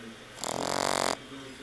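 A Boston Terrier gives one loud, rattling snore lasting under a second.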